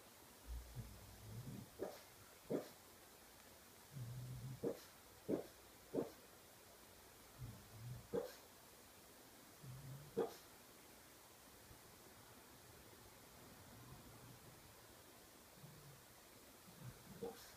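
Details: Dreaming pug asleep, giving scattered soft yips mixed with low grunting murmurs, in irregular bursts over the first ten seconds. The sounds thin out later, with one last yip at the end, in a quiet room.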